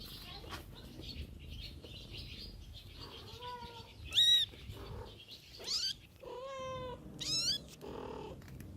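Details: Mother cat tending her kittens outdoors; several short kitten mews, some high and sharply rising, one longer and flat near the middle of the clip, set against a soft low background rumble.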